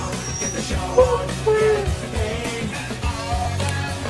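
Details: Rock-style music with a singing voice and a steady beat fills the clip; no animal sound stands out.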